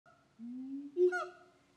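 A siamang gives a rising, hooting call that swells into a sharp, honking peak.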